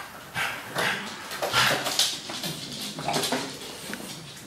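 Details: A male French Bulldog named Henry Lee, humping, gives breathy, rasping snorts and grunts in irregular bursts, several each second, with louder noisy puffs near the middle and no other clear sounds.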